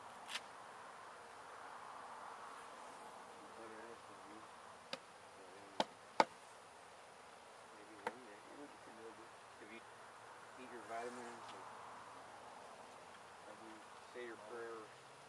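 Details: During a window hive removal at a house in Edinburg, Texas, a calm honey bee colony hums steadily, broken by several loud knocks and short bursts of nearby speech.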